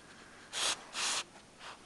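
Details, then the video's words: Spike, a French Bulldog, snoring while asleep indoors: two loud, breathy, hissing snorts each about half a second long, a pause between them, then a softer third breath. "french Bulldog "Spike schnarcht"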